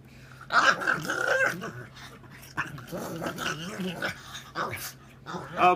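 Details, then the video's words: Goofy pug vocalising with a strained, nasal growl and grunts that rise and fall in short bursts. A person scolds the dog playfully nearby. "Crazy Pug, goofy sounds"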